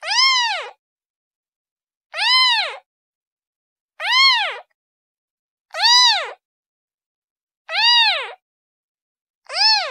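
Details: Kitten repeatedly crying to its mother: six evenly spaced, short arched meows about every two seconds, high-pitched and piercing, with silence between calls.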